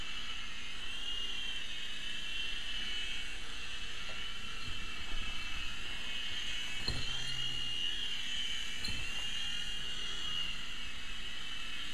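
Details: A steady high whine from a remote control helicopter fills a small room, with a few low thumps and clicks and no animal voice.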